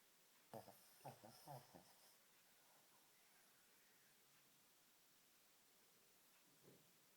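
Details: Shih Tzu dog named Barclay snoring and dreaming during an afternoon nap indoors; four soft, rough snorting snores come in a quick cluster over about a second and a half, then near silence until one last faint snore.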